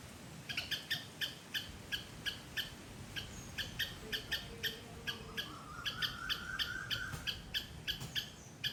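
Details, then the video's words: Loud squirrel call from a Sri Lankan garden: a long string of high, staccato chirps, about two per second, with a faint thin whistle from another creature drifting in partway through. "Loud Squirrel sound"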